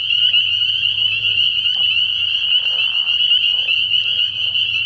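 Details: Night chorus of spring peepers at a frog pond in early spring: countless high piping calls overlapping into a continuous shrill trill, steady in loudness throughout, with a soft low rumble underneath.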